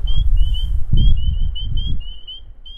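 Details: Several spring peepers call on an evening at a breeding pond at Cape Cod National Seashore during frog-call monitoring, with high, piercing, slightly rising peeps repeated quickly and overlapping, over a low rumble of wind.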